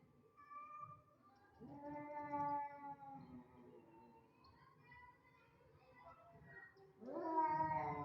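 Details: Two domestic cats that dislike each other meet and give harsh, drawn-out yowls with strong harmonic stacks, wavering in pitch, swelling around two seconds, trailing into lower moans, then a loud rising wail near the end.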